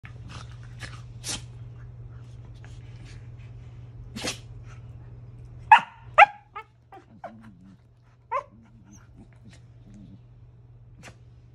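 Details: One of two corgis at play makes soft grunts and brief whiny yelps over a low steady hum, playing quietly.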